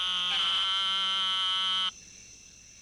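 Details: Eastern narrowmouth toad, one of eleven species in a mixed chorus, from a 1958 Smithsonian Folkways recording: a single high, nasal, buzzy bleat held about one and a half seconds, then cut off into quiet background.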